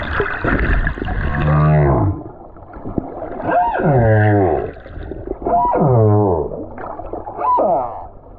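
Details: Song of a solitary male humpback whale on the Silver Bank, February 2023, heard from a snorkeler above: low moans bending up into harmonic swoops, four loud units about every two seconds, with a higher buzzy start.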